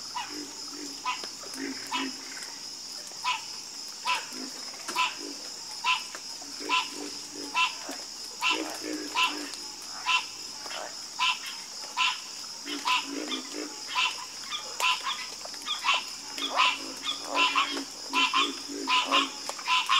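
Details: Loud frog chorus of sharp, clicking croaks repeated over and over, layered with softer low pulses and a steady shrill hum overhead.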